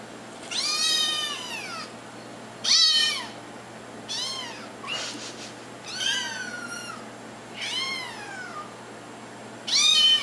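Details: Kittens meowing to get their owners' attention: six drawn-out, high, arching meows with rich harmonics, each rising then falling, spaced about one and a half to two seconds apart over a quiet indoor background.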